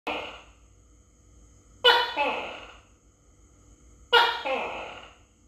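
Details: Tokay gecko (Gekko gecko) filmed close up while being fed crickets, recorded on a phone: loud, harsh two-part calls, a sharp explosive syllable followed by a fading second note. Two full calls about two seconds apart, with a fragment at the start, in a quiet room.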